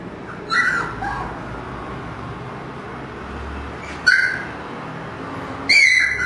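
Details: Kennel-raised Siberian husky puppies from a five-pup litter born 1 October 2009: three short, high whimpering yelps spaced a few seconds apart, the last one the sharpest and loudest.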